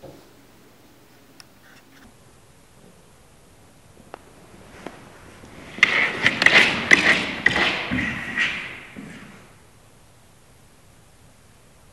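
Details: A quiet room with a few soft taps, then a burst of rustling, scratching and thumping for about four seconds, as if from play with a small object, fading back to near silence.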